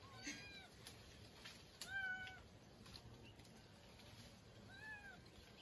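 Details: Kitten stuck up a tree outdoors in the countryside after raiding a bird's nest and being pecked by a big bird. It gives thin, faint meows, one near the start and two more spaced a few seconds apart, over a steady high insect buzz.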